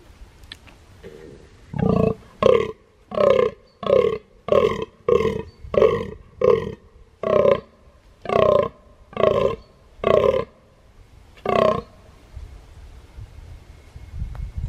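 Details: A rutting fallow deer buck in Sarthe, France, on 23 October 2018, gives a run of deep, belching groans, one roughly every half second.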